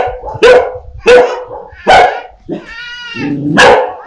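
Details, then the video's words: Dog barking fiercely at a stranger, with puppies barking at familiar people: three loud, sharp barks spaced about 0.7 seconds apart, then a brief tonal whine-like sound and a final bark. "Sounds of DOGS and PUPPIES barking"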